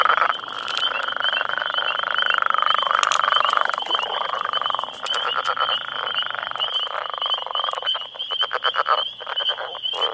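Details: Northern Leopard Frogs, some ten males, call for females in their territory near a road with rivals squabbling: a long grinding snore-like trill, then choppy rapid clucking pulses, over a steady high-pitched background whine.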